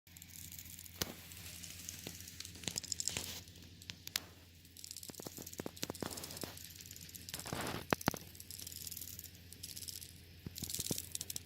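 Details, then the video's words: Alpha termites making a strange noise: scattered sharp, dry clicks and crackles, some in quick clusters, over a rustling, hissy background with a steady low hum. "alpha termites making strange noise"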